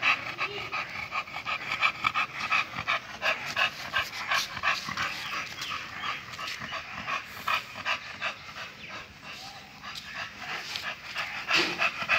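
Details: Male American Bully of the Bulsky bloodline, kept for stud, panting in fast, raspy breaths of about three per second. The breaths are steady and uneven in strength throughout, with a faint voice nearby.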